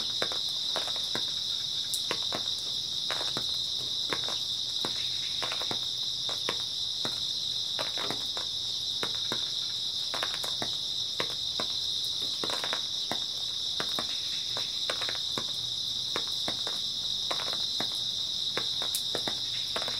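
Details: A continuous shrill drone from many grass insects fills an early autumn night, steady and unchanging for twenty seconds, joined by frequent quick clicking crackles, sometimes in bunches.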